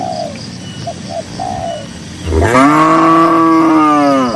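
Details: Cattle grazing in a green grassy pasture, dozens of cows strolling: soft dove-like cooing notes at first, then a loud, deep moo bursts in and holds steady for about two seconds until the end.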